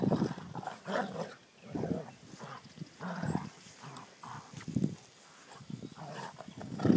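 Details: Playing dogs heard through choppy, low growls and huffing bursts, irregular and overlapping, rising and fading in loudness over several seconds.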